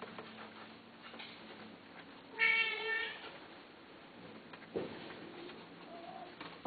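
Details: A cat for sale lets out a single clear, bright meow of under a second amid a quiet room hum, followed by soft thumps and a faint shorter call.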